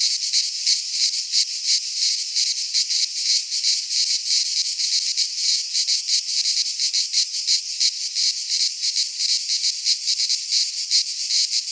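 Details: Cicadas singing in midsummer in a Greek pine forest: a dense, continuous buzzing chorus high in pitch, pulsing rapidly about three times per second with no other sounds.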